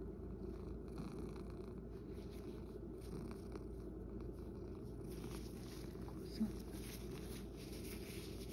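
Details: Male rescue cat Sacchan, living at Kazeno Kobo with an elderly woman, purrs in a steady, low, rapidly pulsing rumble with no breaks; faint soft sounds occur in the quiet indoor room.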